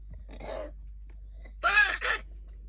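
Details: Female English Cocker Spaniel puppy with kennel cough, since cured: harsh, raspy coughing bursts.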